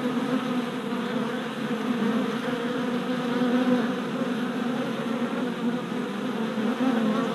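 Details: Many worker honey bees making orientation flights in front of a newly installed hive in April, a continuous droning hum with layered overtones and slight swells as individual bees pass by.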